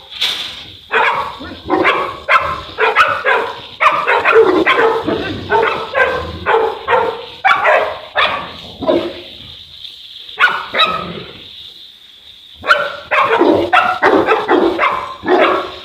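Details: Boerboel (South African Mastiff) from a couple of dogs kept in Egypt, barking in a rapid, steady series of about two barks a second, broken by a quiet gap of roughly two seconds before resuming.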